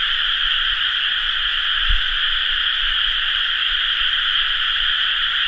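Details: Rice-paddy frogs in full chorus at planting season, 30 May 2011, an even, dense drone of countless croaks in two high bands, with one brief low bump near the middle.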